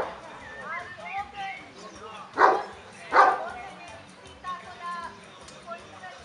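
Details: At the fifth Kuvasz club exhibition, Kishegyes 2017, a Kuvasz lets out two strong barks under a second apart amid continuous voices of the show crowd.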